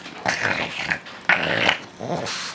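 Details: A four-year-old male Boston Terrier growls indoors while sharing a chicken leg, a low rumbling growl in two or three sustained bursts with brief gaps between them, in a small room.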